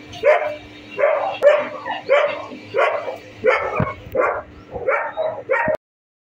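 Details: A Staffordshire Bull Terrier fighting another bully-type dog gives harsh, rough barks and snarls in quick bursts.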